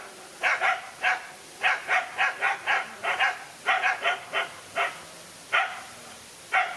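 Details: Sharp, separate barks ring out as a lone dog squares up to two male dogs. Around seventeen barks arrive in under seven seconds, some paired in quick doubles and others spaced by short pauses, over low background hiss.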